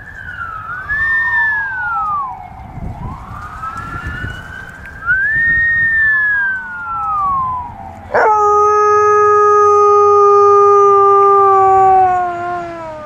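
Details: Phoenix, an Alaskan Malamute, howls in imitation of passing fire truck sirens, a rare behaviour caught by chance. Long swooping howls rise and fall in wide arches, then give way to a sustained, slowly sinking, siren-like wail.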